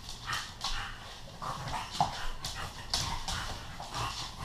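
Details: Play-fighting indoors between Earl, a Bullmastiff, and Bentley, a female English Bulldog: short rough grunting growls in quick bursts roughly every half second, mixed with huffing breaths and scuffling.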